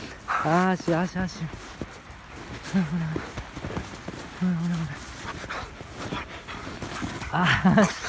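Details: Husky playing roughly and rampaging with its owner; low, wavering howl-like barks and yowls in short bursts, several in quick succession, mixed with human laughter and voices.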